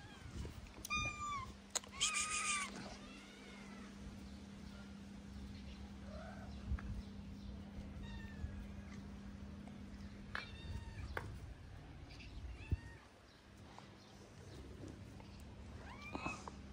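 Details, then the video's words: Hungry, thin calico street cat in Morocco calling out with short arched meows, a burst early on, scattered single cries later, separated by quiet stretches over a constant low electrical hum and street background. "The skinny calico cat meowed loudly because she was hungry."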